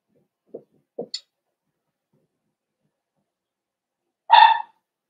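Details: Cavalier King Charles Spaniel puppy, four weeks old, in an indoor puppy pen while meeting other dogs and eating puppy mash: a few soft taps and clicks, then one sharp, bright yip near the end.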